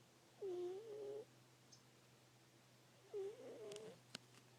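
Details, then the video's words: Deeply sleeping female house cat making two soft, slightly wavering mid-pitched squeaks, each under a second long, separated by a pause, followed by a few small clicks. "Cute cat making cute noises while sleeping"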